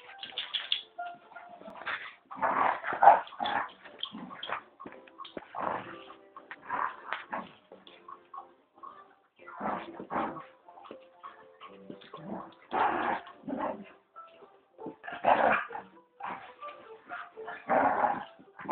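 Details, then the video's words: Dogs in a fight: harsh, rough barks and snarling bursts in irregular clusters, some brief pauses between flurries, with louder outbursts around the third and fifteenth seconds. "Dog Fight"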